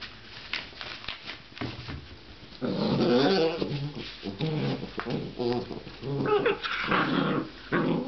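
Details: Playful growling from a seven-week-old giant schnauzer puppy that shares the room with a bull terrier puppy. Dense, gritty growls swell in the middle, with choppy repeated bursts and scuffling noises between them.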